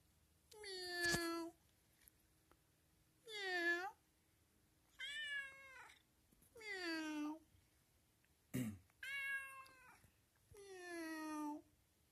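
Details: Friendly, playful cat meowing. Six drawn-out, strongly harmonic meows, some rising then falling in pitch, come roughly every two seconds in a quiet setting. A single sharp click falls between the fifth and sixth calls.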